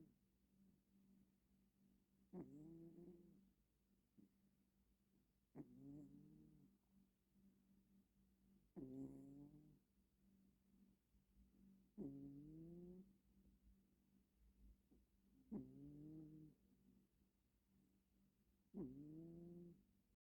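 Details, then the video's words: Sleeping female house cat snoring with one eye open, soft nasal purr-like snores with a slight rising then falling tone, repeated about every three seconds, six in all, in a quiet room. "Cat is snoring!"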